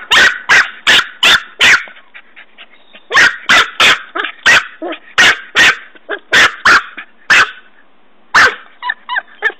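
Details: Norfolk Terrier puppy Ben, busy digging a hole beside a tree, barks in rapid bursts of sharp, high yaps, two quick volleys with a short gap, ending in thin whining yelps.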